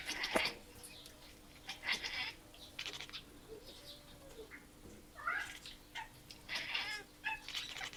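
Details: Indoor cats chattering at an animal seen through the window, giving quick clicky chirps and rippling trills in scattered bursts, over a faint constant hum.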